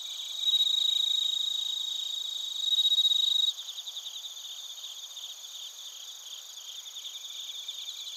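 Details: Bell crickets and other crickets recorded in Narita, Chiba Prefecture, Japan, on a TASCAM Portacapture X8: a loud, steady, high ringing trill for about three seconds, then many rapid pulsed high chirps overlapping in a dense insect chorus.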